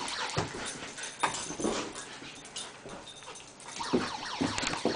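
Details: Reginald, a pet dog, playing with a siren toy, gives short whimpering yips scattered through a busy, noisy room, with thumps and clatter of the toy around him.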